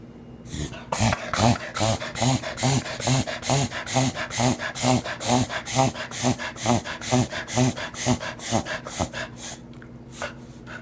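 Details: A four-year-old male Cocker Spaniel makes rapid, rhythmic snorting grunts, about two every second, like hard panting; it is a recurring, unexplained noise that neither the owner nor the vet can identify.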